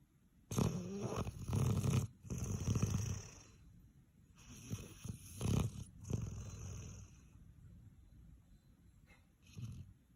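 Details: Snoring of a sleeping puppy in Canada, loud as a buzzsaw: rough, buzzing snorts repeated roughly once a second, some long and grating, others short, fading toward the end in a quiet room.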